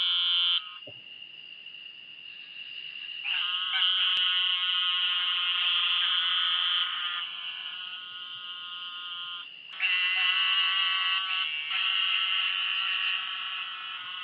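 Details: A very small brown-to-black toad with a pointy head and a skin fold behind its eyes gives long, nasal, buzzy bleats, each held for several seconds, like sheep bleating.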